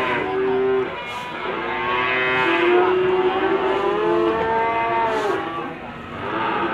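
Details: Limousin cattle crowded at an animal market in Gondanglegi, Malang, East Java, on 12 February 2020. Several long, wavering moos overlap, some held steady for about two seconds, with brief clatters above the herd.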